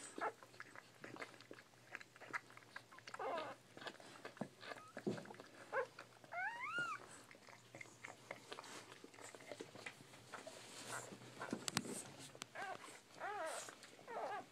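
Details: Several thin, rising-and-falling squeals from Bull Pei puppies, strongest past the midpoint and again near the end, scattered over soft snuffling, nuzzling and rustling noises close by.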